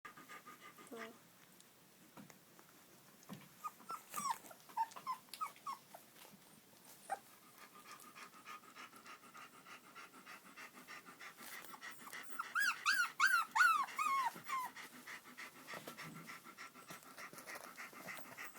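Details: Shiloh Shepherd puppies at the Totem Shilohs kennel giving short high whimpers and squeaks, a burst of rapid yelping cries near the middle, with soft rustling and background noise throughout.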